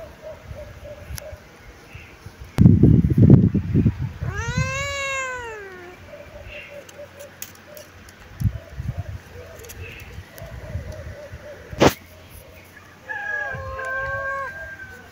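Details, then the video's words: ['A kitten sunbathing and cleaning itself lets out one clear arching meow amid rustling and handling noises, with a faint, softer wavering mew at the end.'] "My cute kitten meowing, sunbathing"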